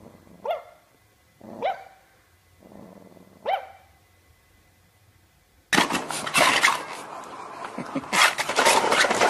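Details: Dog giving three short, sharp barks spaced about a second apart, each with a bright harmonic ring, before a sudden burst of loud broadband noise takes over the second half.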